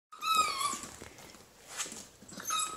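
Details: Whining from Molson, an 8-week-old tricolor Beagle puppy, after trying a dried liver treat: a thin, high, wavering whimper at the start, a pause with faint rustling, then another brief whine at the end. Indoors.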